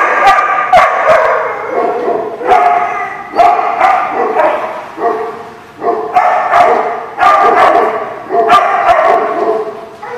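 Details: Dog, recorded 5/4/19, barks almost without pause: rapid, rough, mid-pitched barks in quick clusters, the bursts crowding one after another across the whole stretch, with only brief dips in loudness between groups.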